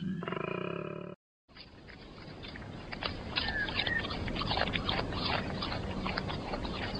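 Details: A koala (Phascolarctos cinereus) in Australia bellows: a brief droning, harmonic moan, then a long run of harsh, snoring, pig-like rasps.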